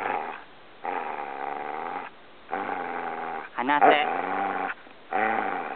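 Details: Samoyed named Gomaru at Shobudani-ike Park campsite, teasing its owner, giving long drawn-out tonal awoo-like cries in several sustained bursts, with a person's commands in Japanese heard between them.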